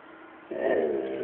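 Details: A chocolate Labrador gives a short, rough, low growl at its owner, after a moment of near silence.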